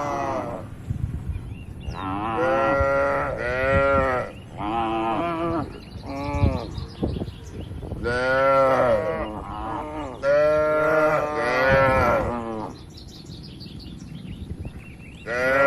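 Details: Herded cattle roaming freely through a broad oil palm plantation low again and again, a series of loud harmonic moos with arched, falling pitch, one after another with short gaps.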